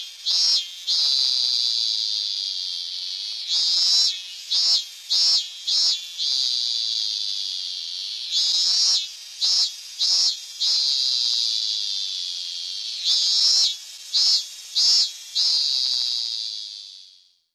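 A robust cicada sings a loud, high buzzing drone broken into quick repeated pulses.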